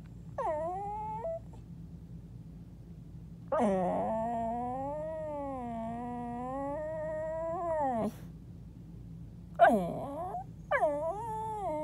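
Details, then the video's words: Pet dog talking from under a bed indoors: long, wavering, moaning whines that dip and rise in pitch, one stretching about four seconds, followed by two shorter falling yelps, steady low hum beneath. "my dog talking under my bed"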